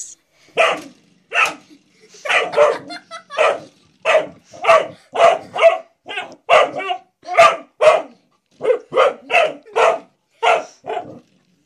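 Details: Male dog indoors barking at a blue door stop it has discovered and seems to treat as a threat; a long run of sharp, evenly spaced barks, roughly two per second, with no other sounds.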